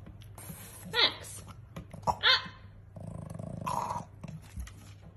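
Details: French Bulldog. Two brief, harsh barks from a French Bulldog ring out, each a bright yelp that bends slightly in pitch. A person speaks afterwards, with low room noise underneath.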